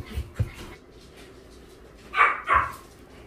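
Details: Dog at an animal welfare center in Ulsan, South Korea, during a weekend volunteer visit: two sharp, loud barks a third of a second apart, preceded by thumps and low human voices.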